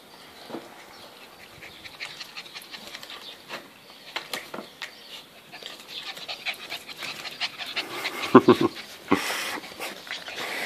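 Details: Happy Border Collie puppies panting: soft, rapid breathy puffs that grow louder and busier in the second half, with a brief squeaky note near the eighth second and a few sharp rustling knocks.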